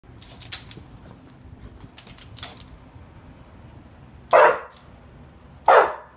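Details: English Bulldog indoors wanting to go out: soft scuffling and tapping, then two short loud barks about a second and a half apart.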